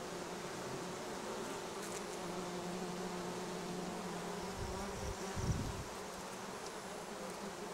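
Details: Bees foraging on acacia and other plants beside the Sun Highway between Cernavodă and Medgidia; a steady, low droning hum from many insects, with a few soft thumps of wind or handling partway through.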